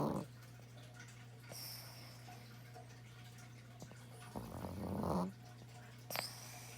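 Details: A domestic dog snores in a small room, one rasping, buzzy breath near the end of the stretch, then faint rustles against a constant low hum.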